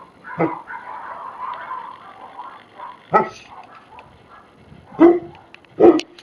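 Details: Tibetan Mastiffs give loud, abrupt barks, four in about six seconds, the last two close together, against a background of talking.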